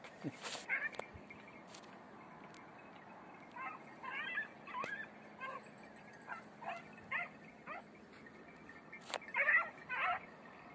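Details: Hare-training beagles, red-blue tick and lemon-white, on the Greek island of Crete, heard as scattered high yelps coming in irregular bursts, with a few sharp clicks and knocks nearby.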